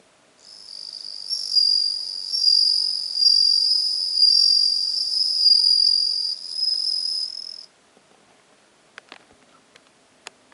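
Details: Bell cricket chirping, recorded 17 September 2021, a long high ringing trill for about seven seconds that stops sharply, then several faint clicks and taps in near silence.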